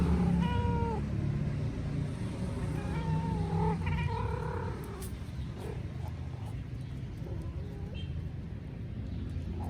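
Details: Mother cat calling her kitten, unedited raw footage: a few drawn-out, slightly falling meows early on and again near the middle, followed by fainter calls, over a steady low rumble of background noise.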